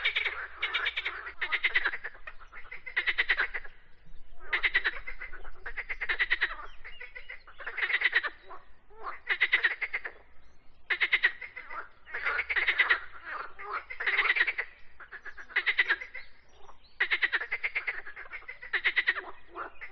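Frogs croak in rapid, raspy pulsed bursts, each lasting under a second and repeating steadily.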